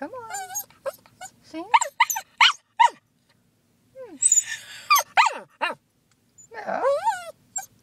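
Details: Pet female cockapoo singing when her owner prompts her: a string of short yelping, upward-sliding whines and brief wavering howls, ending in a longer quavering howl, with quiet gaps between bursts.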